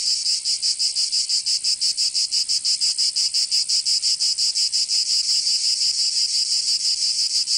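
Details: Cicadas of Provence, southern France, in summer: loud, high, rasping buzz pulsing in a fast regular beat of nearly three throbs per second, steady for the whole stretch.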